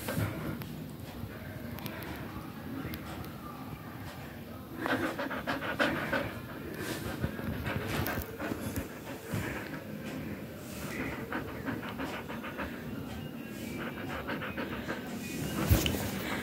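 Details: Siberian Husky during daily work, panting quickly and unevenly, about three breaths a second, over a steady background hiss with human voices talking now and then.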